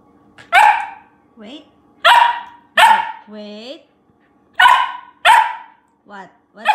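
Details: Picky female Siberian Samoyed puppy in Canada reacting while being fed kibble and treats: five sharp, loud barks spread over several seconds, with softer, higher whiny yelps between them and a person talking.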